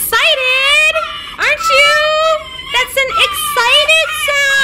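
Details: Winter, a female red fox rescued from a fur farm in November 2019, whines when affection stops. Her long, high, tonal whines bend upward at the start and hold steady, several in close succession.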